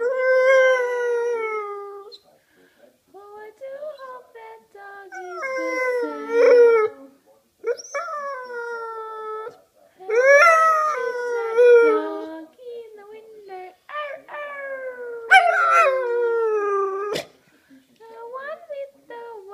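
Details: Blue English Staffordshire bull terrier, a pet, singing along to its owner: long wavering howls, rising then sliding down, in bursts every few seconds with short gaps, mixed with a human voice singing.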